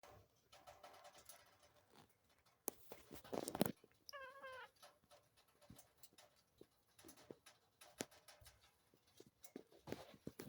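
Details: Mr Grieves, a cute little Munchkin cat, yawning his head off: one brief squeaky cry with stacked tones that waver and dip, lasting about half a second, set among clicks, taps and rustling.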